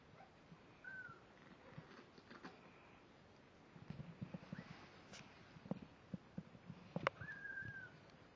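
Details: Week-old kittens of Layla, a snowshoe Siamese cat, squirming indoors; a few thin, high, drawn-out mews, one early and a longer level cry near the end, amid rustling and small bumps.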